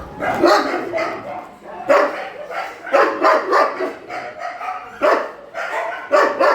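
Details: At a shelter during a night feeding, dogs bark in loud, broad bursts roughly once a second, a steady run of harsh barks with other dogs faintly behind.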